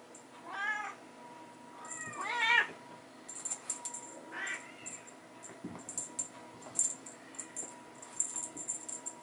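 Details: Bengal kittens at teaser play time with their mother in a hallway; three loud, rising-falling meows spaced about two seconds apart, followed by scattered light clicks and rattles from play.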